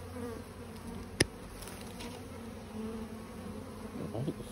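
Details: A honey bee swarm landed in a garden tree in Warwickshire, England, on 21 May 2022 hums steadily, a low droning buzz with a sharp click partway through.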